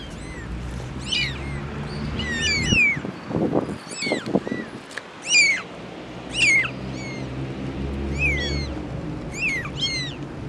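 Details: Mother cat with four kittens: thin, high mews, several overlapping, scattered through the recording, with a burst of low rumbling and rustling handling noise in the middle.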